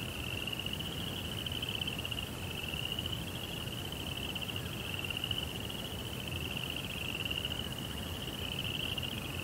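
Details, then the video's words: Unbroken high trilling of crickets at night, fine rapid pulses forming one sustained ringing tone that drifts slightly in pitch, with quiet low noise beneath. "Cricket Sounds"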